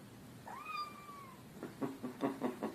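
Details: A one-year-old domestic cat gives a single clear, high meow that slides gently downward; finding: cat.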